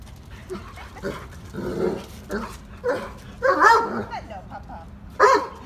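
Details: Three-year-old male black Labrador Retriever eager to play with another dog, giving short squeaky whines and yelps that grow louder, with a sharp high whimper near the end and low background murmuring.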